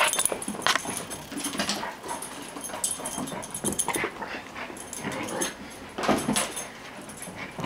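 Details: Six-month-old puppy Toastie at play with a toy, giving rough, grumbling play noises and short bursts that come in clusters every second or two, mixed with scuffling, clattering and chewing sounds close by.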